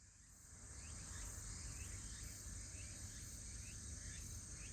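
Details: Autumn insects on a cool day trill steadily while a cat listens, with a shorter chirp repeating about twice a second over low rumbling background noise.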